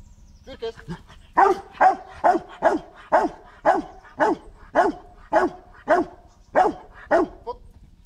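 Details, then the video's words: Dog Marshal von Hause Sommer during protection training on 8 September 2014, giving a steady series of loud, deep barks roughly every half second, about a dozen in a row, after spoken commands. "Protection training"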